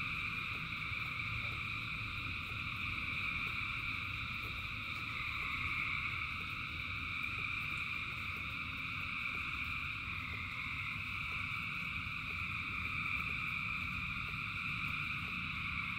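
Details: In the rain, a vast frog chorus keeps up an unbroken high, trilling drone in several bands, accompanied by low, steady rain noise and faint clicks across the whole stretch.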